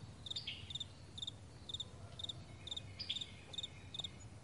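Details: Morning on a vast meadow: crickets repeat bright, high paired chirps at a steady pace of roughly two per second over a faint low hum, with a brief bird note.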